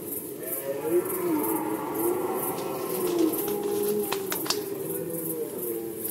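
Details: Rutting red deer, Poland, 2020. Overlapping low, mournful groans with curving harmonic tones run throughout, joined by a few short sharp clicks near the end and a steady background hiss.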